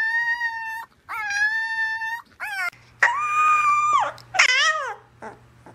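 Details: Puppy giving sustained, level tonal howls with bright overtones, two even notes then a longer wavering one that falls away, ending in short whimpering slides; a low hum sits beneath the later calls.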